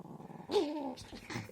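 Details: Chihuahua giving a short tonal growl of about half a second, pitch wavering then sliding slightly downward, followed by soft rustling and faint clicks indoors.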